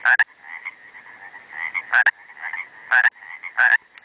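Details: Pacific tree frog recorded 4 July 2005 in the Trinity Alps Wilderness of Northern California, giving sharp rasping two-note croaks roughly once a second over a continuous low trilling background chorus of frogs.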